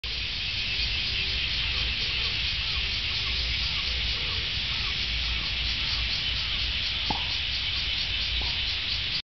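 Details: Meimuna opalifera cicada singing: a loud, steady, high buzzing drone with a fine rapid pulsing that runs unbroken through the whole stretch, over faint low background rumble and a few brief soft tonal notes.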